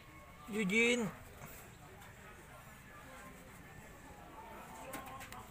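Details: A Siamese cat gives a single low, wavering meow that rises and falls, then the room goes quiet.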